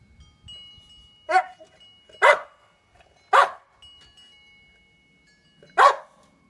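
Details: Boxer dog named Titan, almost nine years old, barks as he chases sunlight reflections; four sharp, loud barks at irregular spacing, with a faint steady chime-like tone ringing behind them.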